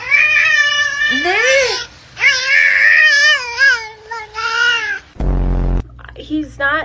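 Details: Domestic cat giving long, drawn-out wavering yowls that rise and fall in pitch, several strung together over about five seconds, followed by a sharp loud bump and brief human voices.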